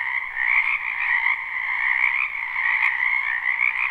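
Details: Spring wetland frogs in a live, unlooped recording, croaking together as a thick overlapping chorus of buzzy trills that swells slightly after the first half second and then holds steady.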